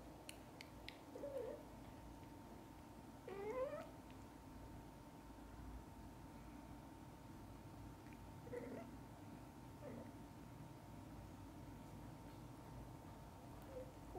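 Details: Domestic cat in a household with a mother cat and her kittens, from birth to eye-opening: a few faint, short mews scattered across the recording, one sharper rising call near the middle, over a steady indoor hum and light rustling.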